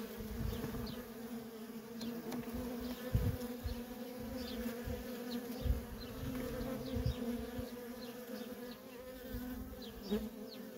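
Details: Constant humming drone of worker honey bees coming and going at a feral colony, the buzzing tone steady throughout, with soft low thumps and rumbles beneath and scattered thin, high bird chirps overhead.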